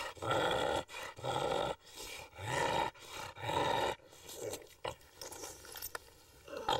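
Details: Domestic bulldog making loud, harmonic, roaring growl-like sounds in five long bursts of nearly a second each over the first four seconds, followed by shorter, fainter grunts and snorts.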